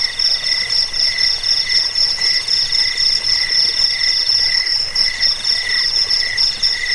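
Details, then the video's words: Chirping cricket, called jangkik, in a recording meant to drive off rats, aid sleep and serve as master song for training birds; rapid, evenly spaced high trills pulse several times per second over a continuous shimmering background. "Suara jangkik pengusir tikus pengantar tidur"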